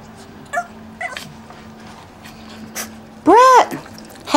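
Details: Young male puppy at a dog breeder's home in Akron, Ohio, giving a single short, arched, whining yelp near the end after near quiet, with faint background noise and a person calling to the dogs.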